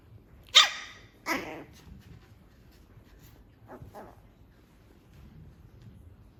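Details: Pomeranian puppy on its first day in a new home, giving two sharp high barks near the start, then two softer yips a few seconds later, with quiet room background.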